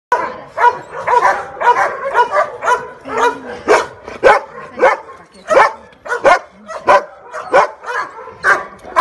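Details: Female Rottweiler barking in a fast, uneven series of sharp, harsh barks, about two per second, with short breathy gaps between them.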